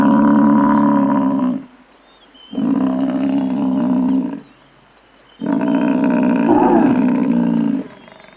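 A buffalo gives three long, deep, droning bellows, each about two seconds, with short pauses between.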